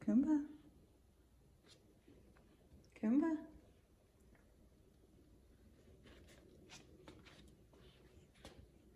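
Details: F2 Savannah cat Kumba, a five-year-old male, vocal indoors in the morning while demanding his chicken early: two drawn-out meows that rise then fall, about three seconds apart, followed by quiet room noise and faint tapping.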